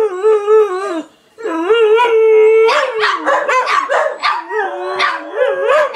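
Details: Dogs howling: long, steady, rich-toned howls rise and waver at first, then give way to a busy chorus of choppy yelps and broken howls from more than one animal.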